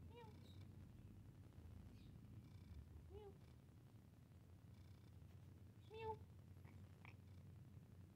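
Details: Domestic cat while playing: three short, clear mews spaced about three seconds apart, at the start, near three seconds and near six seconds, over a steady low hum.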